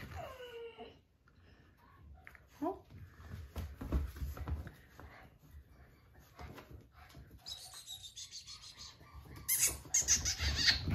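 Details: Two American Bulldog puppies playing indoors, a white male and a female born August 15th: a high, thin whine slides downward at the start, then a second short whine. A person asks why one is crying, and there is clattering near the end.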